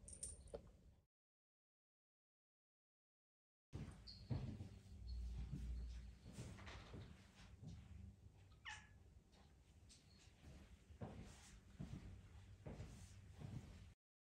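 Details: Pet cat Charlene asking to be petted gives a faint meow at the start, then, after a silent gap, one clearer rising-and-falling meow partway through over a steady low room hum and soft knocks.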